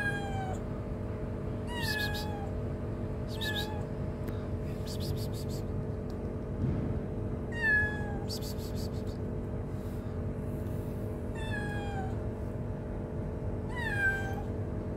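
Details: Hungry street kitten, shy and stray, meows repeatedly, roughly every one and a half to two seconds, each call a short high note sliding downward, with rhythmic high rattling bursts and constant low background rumble.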